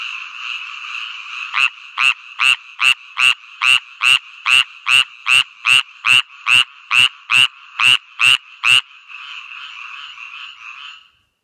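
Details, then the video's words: A lemon-yellow tree frog (Hyla savignyi) calls with a fast series of sharp, clicking notes, roughly two or three a second. "Lemon-yellow Tree Frog (Hyla savignyi) calling"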